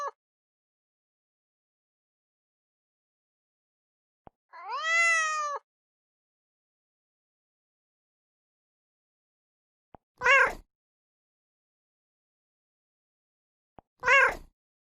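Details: Three cat meows spaced several seconds apart, each preceded by a faint click: first a full arched meow about a second long, then two short, abrupt, higher mews.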